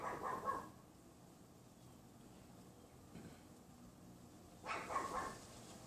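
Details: On a windy afternoon of Feb 6, 2015, around 3:18 PM, a neighbour's unseen Pomeranian gives two sharp, high yaps a few seconds apart behind a wooden privacy fence outside a bedroom window, against steady wind.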